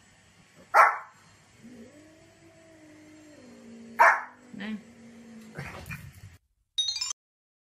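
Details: Domestic dog giving two sharp, loud barks about three seconds apart, with a steady low humming, voice-like tone drawn out between them and a few softer clicks and thumps near the end.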